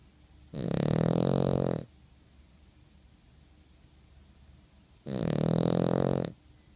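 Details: A sleeping dog snores in a small room, two loud rasping breaths about a second long each, roughly four seconds apart, low and gravelly with a breathy hiss, and near silence between.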